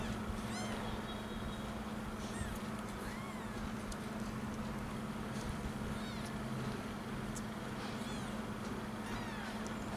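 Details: Week-old kittens hunting for their mother to nurse let out a few scattered, thin mews, each arching up and down. The calls are fairly faint and spaced seconds apart against a constant low background hum.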